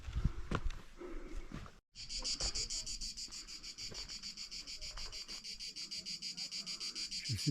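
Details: Cicadas on a hike up the Pic du Lizieux, France, sing a dense, rhythmic buzzing drone, pulsing steadily several times a second.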